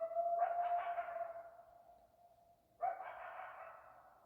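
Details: Coyotes in Arizona howl in long, steady wavering tones, broken by bursts of higher yips and barks.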